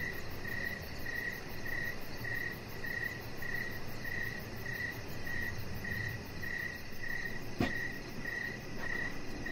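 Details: Crickets chirping in the evening near a deck: a steady train of short, high, pulsing chirps, roughly one every 0.6 seconds, over a low background hiss, with a single sharp click near the end.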